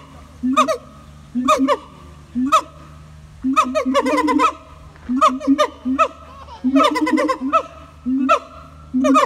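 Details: Siamang gibbons calling at Taronga Western Plains Zoo in Dubbo: repeated loud hooting barks in bursts about once a second, some grouped into rapid rising series with strong harmonics, separated by short pauses.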